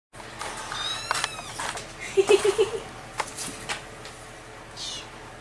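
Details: Barn kittens, four and a half weeks old, kept in a shed by their mother farm cat. A quick run of four or five short, soft mews falls in the middle. Harsh quail calls and rustling sound around them.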